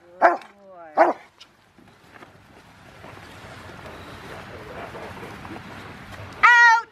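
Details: Five-year-old male Rottweiler River v Schwarzerwald during bite training, January 20, 2020, ahead of his ZTP trial. Two sharp barks at the start, a quieter stretch of faint voices and rustling, then one more strong, ringing bark at the end.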